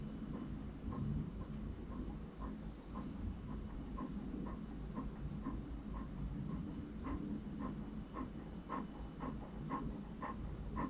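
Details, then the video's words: Panting of Franklin, an English Cream Golden Retriever: rapid, evenly spaced breathy puffs continuing throughout, with a steady low rumble underneath. "English Cream Golden Retriever Panting for 1 Hour"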